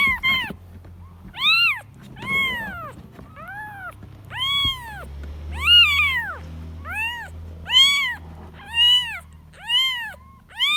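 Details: Kitten calling for its mother: a steady series of about a dozen clear, high, arching meows, each under a second long, spaced roughly one second apart, with a faint low background hum.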